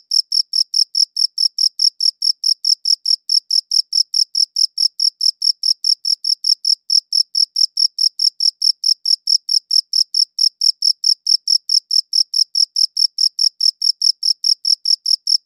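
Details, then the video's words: Long unbroken stretch of cricket chirping from a good audio recorder: bright, high, clicking chirps repeated steadily at a bit over two per second's half, about 140 a minute, with nothing else audible. "Cricket Chirping Sounds"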